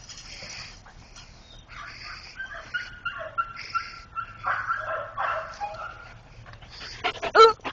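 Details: Rescued greyhounds, formerly used as coyote hunters and all under two years old, make thin high-pitched whines and soft yips that rise and waver. People talk and greet them, and a sharper burst of sound closes the clip.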